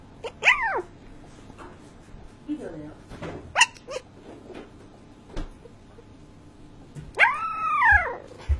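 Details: Sleeping Shiba Inu making sleep-talk noises: a drawn-out arching whine at the start, soft grumbling murmurs and brief yips in the middle, then a longer wavering whine near the end, indoors with low background hum.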